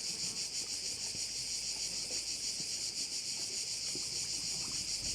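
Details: Korčula bay crickets forming an unbroken, piercing high buzz that swells and fades rhythmically about three times per second, with little else heard.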